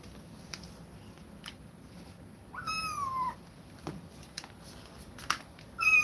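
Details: Kittens taken away from an aggressive mother cat cry out: one drawn-out, gently falling meow around three seconds and a brief rising call at the end, among scattered taps and knocks in a quiet room.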